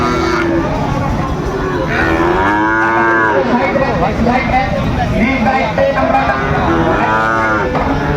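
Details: At a bustling cattle market in Ranigonj, Dinajpur, Bangladesh, in August, Sahiwal bull calves give two curved, harmonic moos a few seconds apart amid dense crowd noise and talking.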